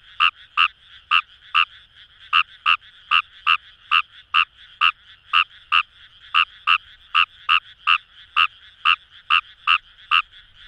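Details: Japanese rice frog, Fejervarya kawamurai, in paddy fields of the Kamo River area, Itoshima, Fukuoka, Japan, croaking rapidly and somewhat irregularly, often in doubled notes, over a quiet chorus of further frogs.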